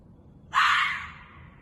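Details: Ezo red fox screaming in a parking lot in Sapporo, Japan, at about 2:30 am on 11 June 2021: a single harsh, hoarse shriek lasting about half a second and fading away, over quiet background.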